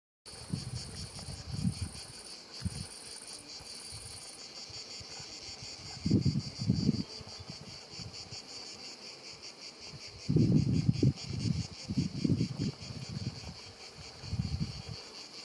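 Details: Cicadas keep up a steady, high, pulsing rasp over a lavender field at Sivergues in the Luberon, France, around 7 pm on 5 July 2019, with low gusts of wind or buzzing bees passing by.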